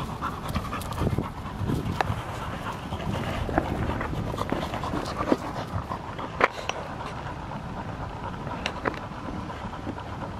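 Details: A field-line Labrador Retriever pants during ball play, giving steady, rapid, hoarse breaths. A few sharp clicks or taps cut through, the loudest near the middle and toward the end.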